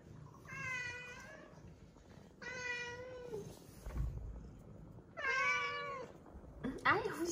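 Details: Weak rescued kittens, found huddled together and fading on the return from a family funeral, cry in three loud, drawn-out, slightly wavering meows about two seconds apart; a person talks between the cries.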